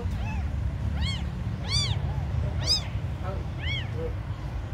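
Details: Tiny abandoned kittens mewing: five or six clear, high, arched cries spaced about a second apart, with fainter kitten voices between them and a low rumble behind.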